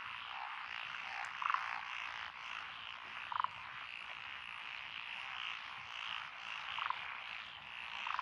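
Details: Many frogs croaking together in lotus rice paddies, Echizen City, Fukui, Japan, on 12 June 2021; an even, pulsing chorus with a few nearer, louder croaks breaking through about every one and a half to three seconds.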